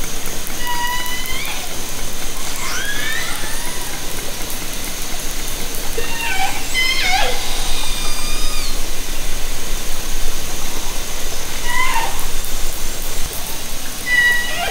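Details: Underwater orca vocalisations from Haro Strait, recorded from a kayak with a hydrophone in summer 2010: a busy run of overlapping harmonic calls, upswept and downswept squeals and short whistles above continuous crackle.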